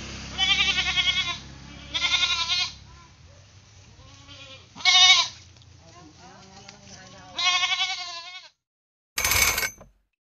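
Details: Playful pet goat bleating in a series of tremulous, wavering calls spaced a couple of seconds apart, with a short burst of noise near the end.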